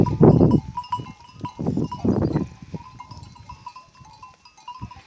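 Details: Kangal sheep, a flock returning in the evening, give two loud, harsh bleats about two seconds apart near the start. A steady metallic tinkling of bells runs throughout, with soft rustling and shuffling between the calls.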